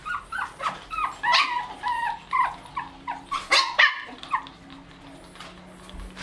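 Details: White Shih Tzu puppies aged 1 month 28 days, with their mother at milk time on 05/08/2020, whine and yip in short, high, wavering notes tumbling over one another several times a second, over a faint household hum.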